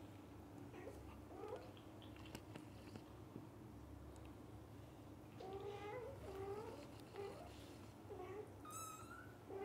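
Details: Household cat family of dad, mother and kittens: faint, wavering meows early on, then a louder run of rising and falling meows midway, ending with a brief thin high squeak, over steady low hum.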